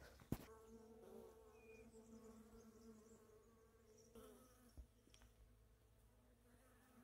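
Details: Bees buzzing inside a plant in the botanical garden at Rodalquilar while someone tries to photograph one that keeps moving; a steady, even hum with layered overtones runs throughout, with a few soft clicks and handling knocks.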